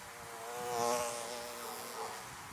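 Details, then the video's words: Honey bees buzzing around beehives: a steady, droning hum of many wingbeats, swelling louder near the middle and easing off again. "Bees buzzing around Beehives"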